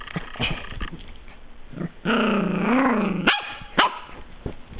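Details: Eight-week-old Pembroke Welsh Corgi puppy giving a drawn-out, tonal growl for over a second that rises and falls, then two sharp high yips, with scattered soft knocks and rustles beforehand.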